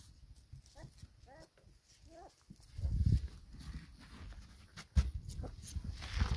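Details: Four-week-old pedigree black Labrador puppies with their mother, feeding and enjoying the sunshine; three short, high, wavering whimpers come in the first two and a half seconds, followed by low thumping and rustling handling noise.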